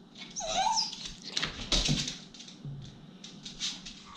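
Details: Rescue Basenji dog at play while being told to jump, giving a short high whining yelp that bends upward and then falls away, followed by shuffling and household noise, with a person speaking just afterwards.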